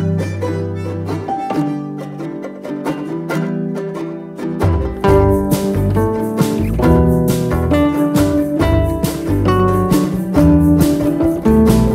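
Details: Plucked string music, banjo- and guitar-like, plays briskly with bowed strings joining midway; no animal sound.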